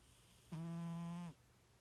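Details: One drawn-out snore from a sleeping domestic cat, compared to a little pig, steady and low-pitched with a nasal buzzing quality, about three quarters of a second long in a quiet room.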